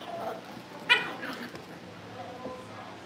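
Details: Cavalier King Charles Spaniel puppies raised in a family home before family pick-ups: one brief, high, sharp yip rises from a quiet room, followed by soft, fainter sounds and a low background hum.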